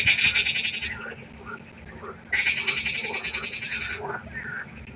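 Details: Nighttime pond frogs in chorus, loud grating trilled croaks opening and returning after a pause for nearly two seconds, with softer scattered croaks from other frogs filling the gaps.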